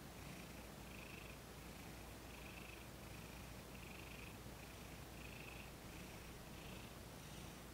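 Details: Purring from Thomas the cat while being massaged, his first massage session, filmed in December 2021; soft rhythmic rumbling swells roughly twice a second over a constant background hiss.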